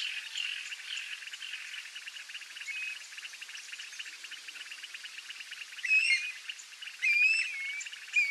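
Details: A dense chorus of toads around a rural swamp lagoon, calling for rain in the summer-rain breeding season, gives high, rapid pulsed calls, with a few bright bird whistles over the top.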